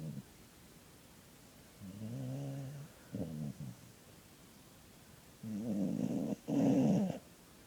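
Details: Sleeping dog named Poppy snores steadily, low buzzing nasal rumbles in paired bursts, the last one louder with a rising whistle-like edge, quiet background between breaths.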